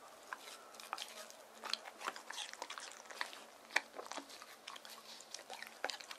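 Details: Given watermelon in hot summer weather, Deokgu, a male white terrier born 19 April 2018, chews indoors. Moist mastication and irregular crisp bites repeat, with sharper crunches near the middle and end.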